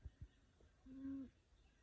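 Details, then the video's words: Sleeping cat snoring: a single steady, nasal, low-pitched tone held for under half a second, preceded by two short soft thumps, in a quiet room. "Snoring cat"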